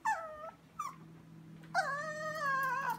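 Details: Chihuahua Sophia whining in the kitchen at night while staring at something; two brief whimpers followed by a longer wavering whine over a constant low hum.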